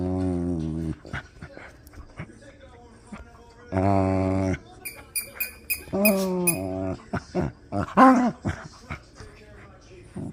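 A Miniature Pinscher makes drawn-out, moaning groans and grumbles while playing.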